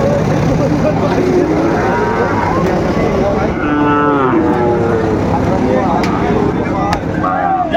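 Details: Sahiwal bull calves at a busy cattle market in Kurigram, 7 April 2025. Drawn-out, low, harmonic moos rise and fall mid-clip, with loud crowd chatter, bargaining voices and vehicle noise throughout.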